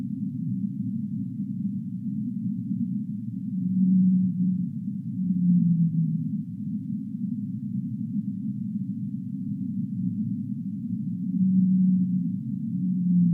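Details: Deep-sea whale calls: low drawn-out moans come in pairs, one around four to six seconds and another near twelve, each pair ending on a slightly falling tone, set against a continuous dull underwater rumble.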